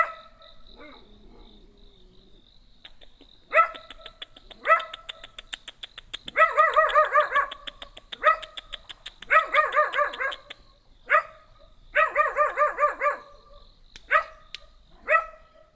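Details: Single barks and short rapid bursts of yapping come from a small black dog, quiet at first and then louder, with pauses between clusters.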